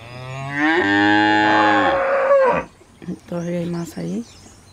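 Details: Cow on a ranch during milking: a long, loud, low moo rising into a strained, harmonic bellow of about two seconds, then three short, lower grunting moos in quick succession, with a faint background hiss.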